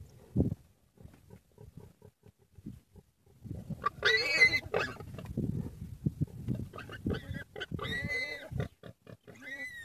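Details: Common warthog attacked by a pack of wild dogs: low grunts and thuds give way to loud harmonic squeals around four seconds, then bursts of shrill screaming with rising and falling tones.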